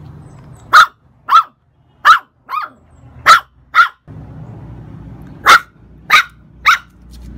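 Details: Shih Tzu and dachshund–Shih Tzu cross puppies bark in clear, high, sharp yaps, nine single barks spaced roughly half a second to a second apart, over a low background hum.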